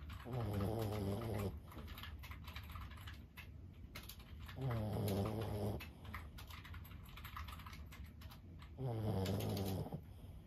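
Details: Lulu, a 15-year-old senior Boston Terrier, snoring in her sleep: three low, rasping, harmonic snores, each about a second long and roughly four seconds apart, with soft tapping clicks between them.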